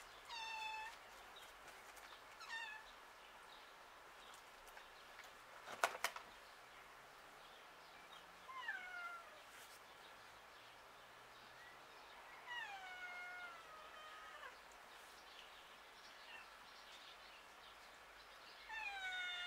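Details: Outdoor domestic cat meowing repeatedly, about six descending harmonic meows spread across the stretch, one sharp clatter near 6 seconds, steady faint street background between calls.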